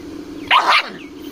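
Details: An aggressive dog, apparently on a farm, giving one loud, harsh bark split into two quick bursts within under half a second, over a faint steady hum.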